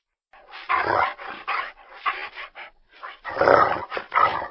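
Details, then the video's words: Dog giving a string of rough, clustered barks and gruff bursts, some short and some drawn out, with brief pauses between groups and a louder flurry near the end; no other sounds intrude. "LADRIDOS Y SONIDOS DEL PERRO - The dog barks and sounds-"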